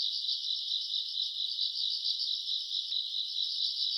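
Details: Grass insects calling on a summer night, recorded around August: a dense, steady high-pitched trill that pulses rapidly and without pause, with one brief click near the end and no other clear sounds.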